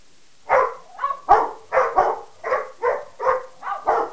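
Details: Three dogs, a Pekingese mix, a Rottweiler and a Mastiff/Pitbull mix, bark at one another: short, harsh, rasping barks roughly every half second in an uneven, overlapping exchange.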